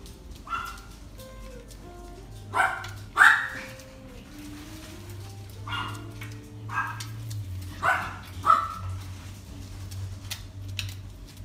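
A Yorkshire Terrier gives sharp, high-pitched barks at irregular intervals over a low steady hum.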